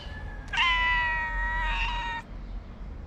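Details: Stray cat in Morocco waiting for a friend to come out of a paper box to get cheese. She gives one long, steady, harmonic-rich meow of about one and a half seconds over low background rumble.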